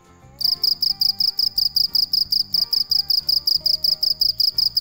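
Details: Cricket calling at night, a steady run of bright, high-pitched pulses repeated about three times per second after a brief quiet start, with soft background music playing beneath.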